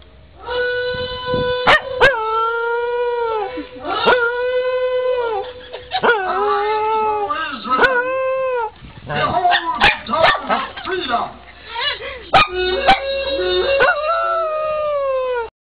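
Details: A corgi sings in long, wavering howls, each note sliding up then drooping down.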